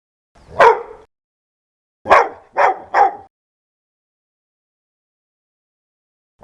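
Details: Loud, fierce dog barking: one heavy bark, then a quick run of three after a short pause, silence, and a final bark starting at the end.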